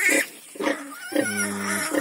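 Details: Newborn piglets, one of a litter of ten born on a farm, drinking their mother's milk: short harsh squealing bursts, then a longer flat tonal squeal, ending with another brief squeak.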